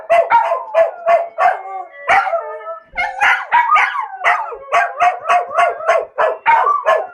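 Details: Bubu and Charlie, two household dogs, join in howling when the phone alarm rings at 1 pm each day; choppy, quickly repeated yelping howls with longer drawn-out wavering tones in the middle, loud and close.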